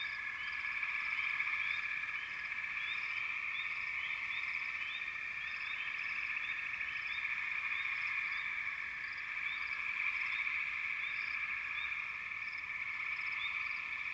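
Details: Continuous frog chorus with a buzzy, even trill beneath and quick rising chirp notes repeating roughly four times a second, loosely spaced.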